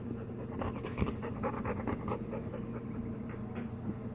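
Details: Golden Retriever panting indoors, one of a mother and daughter pair with another dog nearby; quick rhythmic breaths at about two per second, soft and steady, with low room hum.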